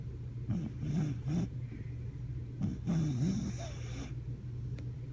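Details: Hammy, a sleeping pet dog, snoring: deep rumbling low snores in bursts about a second apart, with wavering throaty tones over a steady low hum in the background.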